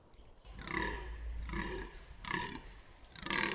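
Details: A fallow deer buck at Bolderwood in the New Forest gives a run of deep, hoarse groans, each about half a second long.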